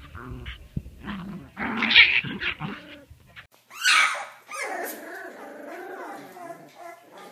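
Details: Puppy from a funny puppy compilation growls and whimpers indoors: rough, buzzy bursts over the first three seconds, a sharp yelping burst near four seconds, then drawn-out whiny, wavering tones, with a person's voice nearby.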